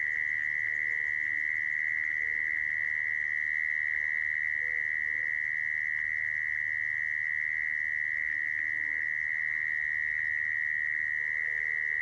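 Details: Mole cricket lure sound for trapping: a long, uninterrupted trill at a fixed buzzy pitch, steady in loudness, with faint low background noise underneath.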